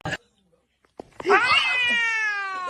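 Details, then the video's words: Kitten meowing indoors: one drawn-out, clear meow that rises and then slowly falls, held for over a second, after a few soft clicks and knocks. "kitten meowing call"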